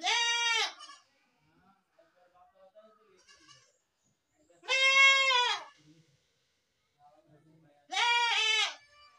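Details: Baby goat calling with three bright, quavering bleats spaced about four seconds apart, each short and evenly loud, with quiet faint sounds in the gaps.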